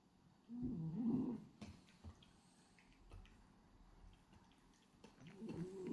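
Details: Sleeping French Bulldog Hachi, a pied black-and-white male, snores indoors: two loud, raspy, droning snores, one near the start and one at the end, separated by quiet breathing and light clicks.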